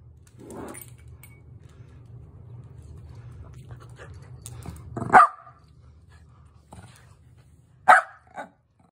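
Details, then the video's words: Sheltie at playtime trying to start a chase: several seconds of low rumbling growl, then two sharp loud barks about three seconds apart and a softer yip after. "Chase me! Sheltie Dog Cute Playtime Video"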